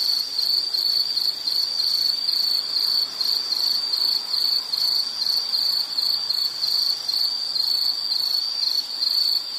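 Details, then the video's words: Relaxing nighttime-style insect chirping: a thin high trill broken into regular rapid pulses, level and unchanging, with a soft hissy background and no birds, voices or music. "Nature Sound of nature sounds scenery L · insect"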